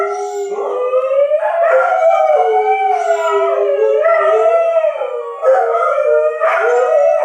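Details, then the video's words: Continuous group howling from dogs set off by a tornado siren test: long undulating tones overlap, each dipping and rising, with fresh voices joining in surges about every second or two. "Dogs howling at the tornado siren test"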